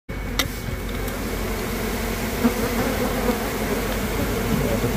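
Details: Honey bee colony nesting inside the floor of a house, heard up close: a dense, steady, low droning hum of many bees with a rough, grainy texture, holding an even loudness throughout.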